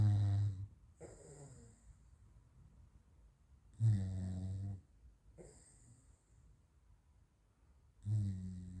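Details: A sleeping French Bulldog, Raf, who twitches and runs in his dreams, gives low, throaty snores about every four seconds, each a rasping inhale followed by a softer snort.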